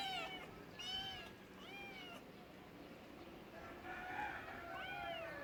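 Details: Cat giving a series of short arched meows, about one per second, several in a row, some overlapping, with a steady background hiss.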